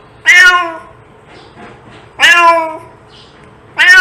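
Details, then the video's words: Domestic cat meowing, sound meant to attract cats: three loud harmonic meows, each about half a second, falling slightly in pitch, spaced about one and a half seconds apart over a quiet background. "Cat sound to attract cats"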